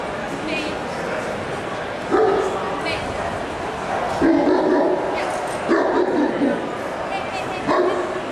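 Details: Landseer dogs in the males open class at the Dortmund Bundessieger show, 18 October 2008: deep, short barks burst out at about two, four and six seconds and again near the end, over constant crowd chatter.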